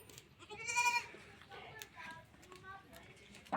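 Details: A goat being milked in a village gives one wavering, harmonic bleat lasting about half a second. People talk around it and music plays faintly.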